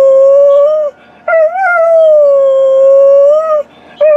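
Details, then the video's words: Tarzan, a purebred Alaskan Malamute, howling around 2013: three long, smooth, clear howls, each holding steady then bending slightly up and down, separated by short pauses. "Tarzan performing, showing off his beautiful voice"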